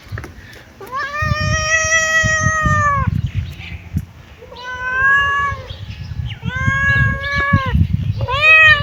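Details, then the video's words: Kitten meowing: four long drawn-out meows with clear stacked harmonics, the first about two seconds long, each separated by short pauses, over low rumbling background noise. "Cute kitten meowing"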